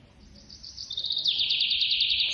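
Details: A hand-fed baby squirrel gives a thin, piercing squeal that climbs in loudness into a fast rattling trill, steady and sustained to the end.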